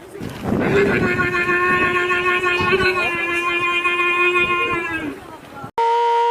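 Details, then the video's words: Camel giving a long, buzzy, droning moan held at a steady pitch for about five seconds. It sags and fades near the end, then cuts abruptly to a brief, cleaner tonal sound. "CAMEL SOUND EFFECT 낙타 울음소리"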